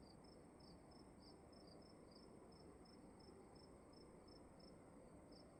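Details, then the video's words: Crickets calling inside a room: short, high, clear chirps repeated about three times a second, two callers overlapping and alternating, over a steady low hiss of room noise. "Sound of emptiness and crickets in the room"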